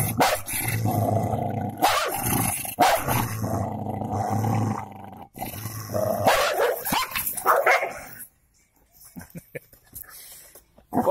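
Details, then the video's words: Golden labrador scrapping with a cocker spaniel: rough snarling growls mixed with yelping barks and scuffling, fading to quieter rustling before a final snarl. "Golden labre with cocker spaniel fight"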